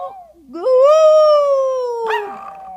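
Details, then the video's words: Retired Maltese show dog singing back to its owner, one long, clear howl that rises quickly, holds steady and slowly slides down, then breaks briefly at the end. "Maltese singing!"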